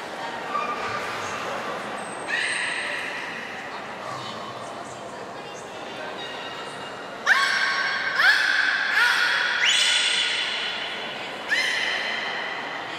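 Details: Beluga in a training session at Nagoya Port Aquarium on 14 October 2019, one of Gray, Nana and Niko: bright harmonic squeals and pulsed bursts stack up between seven and ten seconds, over steady talk in an echoing indoor hall.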